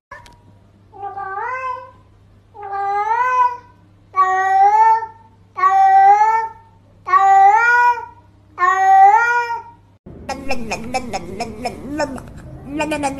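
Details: Domestic cat talking in six evenly spaced rising-falling meows, roughly one every one and a half seconds over a low steady hum, followed by a burst of music.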